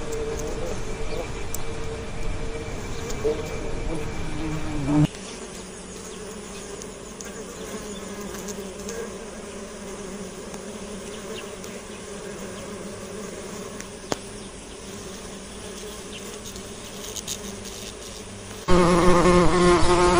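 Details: Bee buzzing as a steady low drone with layered overtones, abruptly cut and changing in tone twice, softer in the middle stretch and louder again near the end.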